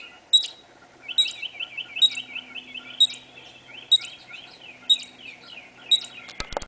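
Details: A squirrel in a backyard, recorded through a sliding door screen, gives sharp, high chipping calls, repeated roughly once a second.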